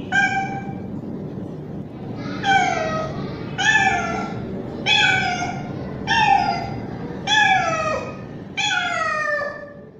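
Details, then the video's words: Loud calls of a young male street cat seeking a female in heat: six or seven drawn-out meows that dip and fall at the end, repeated roughly every second and a quarter over a low background hum. "Male Cat Calling Female | Cat Mating Call Sound | Male Cat In Heat Sounds"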